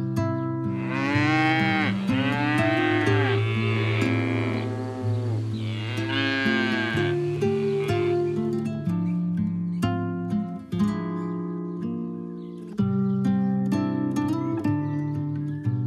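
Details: Calf mooing over plucked guitar music: a long, wavering, nasal moo from about one to eight seconds with arching harmonics, then music continues alone.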